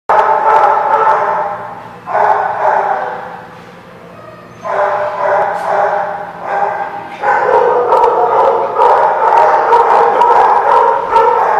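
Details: Dogs barking at The Barking Lot on 8/12/16: a dense, overlapping run of mid-pitched barks that dips briefly near two seconds and again around four seconds, then resumes louder and keeps up to the end.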